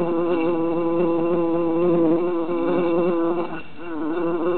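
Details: Summer recording of three bees trapped in a jar: dense overlapping buzzes with shifting pitch, dropping briefly quieter and lower near the end before the droning picks up again.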